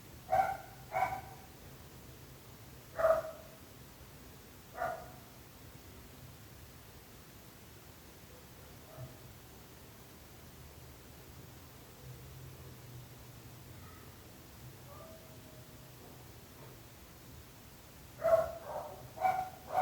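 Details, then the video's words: A dog's barks arrive in scattered pairs and singles, with a long quiet stretch in the middle before a final burst of several barks near the end; a low hum persists underneath. "26 minuts gossos lladrant / 26 minutes barking dogs."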